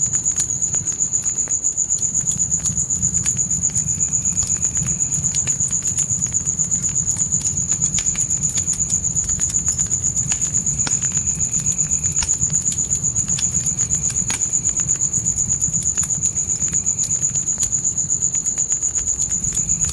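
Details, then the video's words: Crickets at night in a forest, a continuous shrill pulsing chirr at a steady rate of about four beats per second, with scattered snapping pops of a campfire and a soft low fire rumble underneath. "Fire & Crickets Night Ambience"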